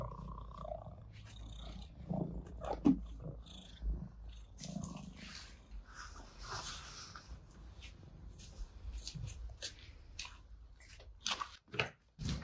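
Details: Morning on a terrace as cats that spent the night outside come to meet their owner before feeding: a continuous deep purr beneath scattered clicks, rustles and footstep-like knocks, which grow busier toward the end.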